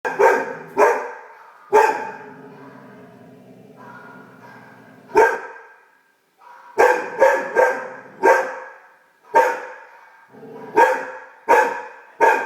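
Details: A female Great Dane puppy, discovering her bark while barking at her own reflection, gives sharp, loud bursts, singly and in quick doubles or triples.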